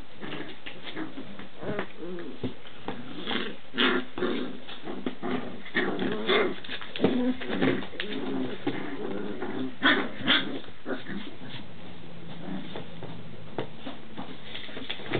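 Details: Standard Schnauzer pups, six weeks old, playing noisily in pairs; continuous rough growling and grumbling with frequent short yelps and squeals, irregular bursts throughout, scuffling in a small room.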